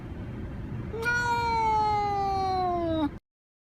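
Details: House cat giving one long, clear meow of about two seconds that starts bright and slides gradually lower in pitch before stopping abruptly, with faint low rumble behind it.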